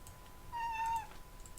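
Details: Pet cat meowing indoors while its owner records, apparently thinking it is being called; a single level, drawn-out tonal meow of about half a second with soft keyboard typing around it.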